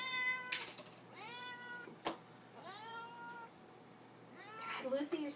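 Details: Indoor cat Lily singing for her supper: a series of curved, wavering meows roughly one per second, then a rougher call at the end, while a person talks to her and small knocks sound.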